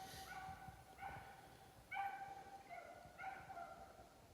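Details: Four hunting beagles chase a snowshoe hare in full cry in the distance, each bay a drawn-out, ringing howl about once a second, as the hounds head toward the listener and then turn away.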